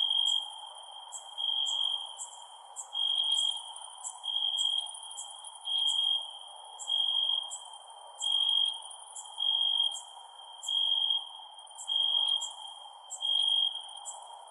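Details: Night crickets keep up a continuous shrill trill broken into louder pulses roughly every 1.3 seconds, joined by rapid, very high ticking chirps and a faint steady hiss underneath.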